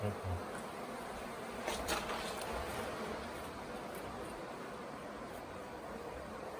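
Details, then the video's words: Honey bee swarm that had settled on a hotel property for a few days, late in the year, while beekeepers check it and try to house it in a nuc box; a dense, steady buzzing hum throughout, with brief louder swells. "Catching a Bee Swarm"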